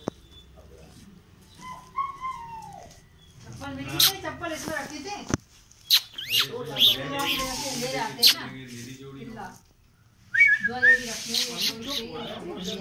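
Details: Two playfully aggressive puppies, a German shepherd and a rottweiler, tussling: harmonic whining yelps and rough grumbling growls in repeated bursts, with sharp clicks and scuffles between, then a high whine near the end.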